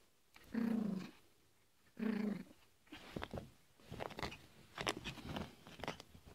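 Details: Yorkshire Terrier named Fido barking indoors: two drawn-out, tonal, harmonic barks about one and a half seconds apart, followed by a run of clicking, tapping and rustling noises in a small room.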